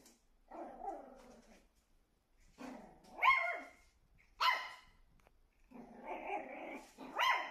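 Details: Pet Shih Tzu Meimei, 24 October 2022, confronting what she takes to be another dog in the mirror: drawn-out low growls that rise into sharp, high barks, about four outbursts in under eight seconds.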